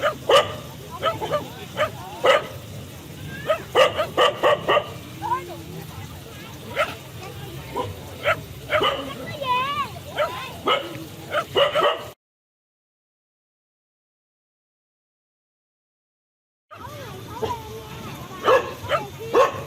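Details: Frequent sharp dog barks mixed with warbling high squeals and whimpers, a few seconds of silence mid-way, then more barking.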